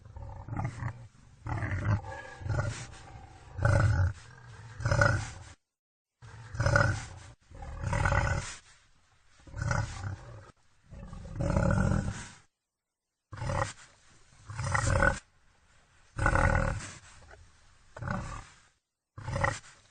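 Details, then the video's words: A long series of wild boar grunts and rough snorting bursts, loud, throaty and irregular, coming every second or two with brief silent cuts between groups. "Wild boar sounds Wild boar sound effect"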